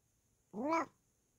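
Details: Bengal cat Kokoa, indoors while being scratched, gives a single clear meow lasting about a third of a second, rising slightly then falling, in an otherwise quiet room.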